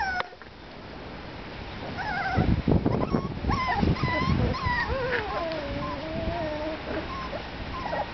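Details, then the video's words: Litter of Parson Russell Terrier puppies aged five and a half weeks giving thin, quavering whines and yips, some long and wavering, amid rustling, shuffling and low rumbling noise. "Parson Russell Terrier Pups"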